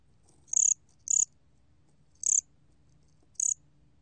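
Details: Cricket known in Korea as gom-gwitturami: four sharp, high, trilled chirps, each a quick run of pulses about a fifth of a second long, the first two close together, over faint low rumble.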